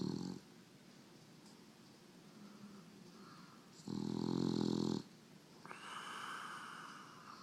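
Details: A female English Bulldog snores with a loud, rough, rattling rumble, followed by softer wheezy breaths.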